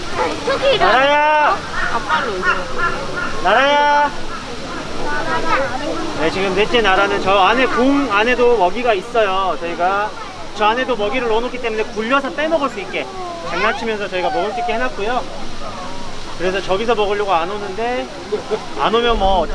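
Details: Tiger cub, one of Everland's quintuplets, 286 days old, 8 April 2022, at snack time with a health check. It keeps crying a wavering, rising and falling 'woeng' to the keeper, begging for meat, amid steady human voices.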